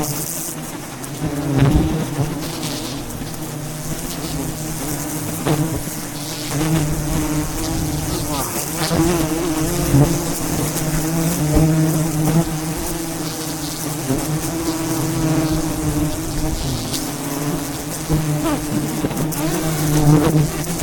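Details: Wild bees swarming a giant mountain beehive as a honey hunter harvests it at height; continuous dense low buzzing hum with wavering pitch, punctuated by knocks and rustling from the work.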